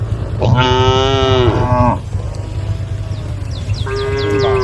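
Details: Tame female cows on the road next to rice fields call to the herd with one loud, sustained moo about a second and a half long, then a second steadier moo beginning, with faint high chirps behind.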